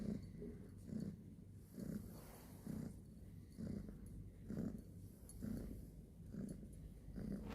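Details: Domestic cat purring, a low rumbling throb pulsing roughly once per second with rhythmic swells on each breath, some faint hiss in the background.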